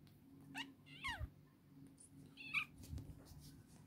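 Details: A cat delivers three clear meows in quick succession, each a rising-then-falling wail about half a second long, with a low electrical hum and soft thumps underneath.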